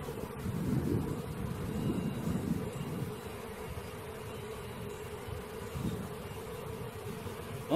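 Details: Steady hum of a honey bee swarm being gathered, a constant mid-pitched drone partly covered by low rumbling bursts of handling or wind noise in the first seconds.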